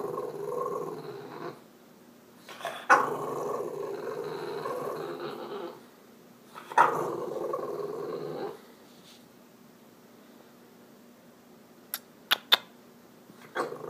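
A French Bulldog grumbles in long, low, moaning growls, pestering for attention.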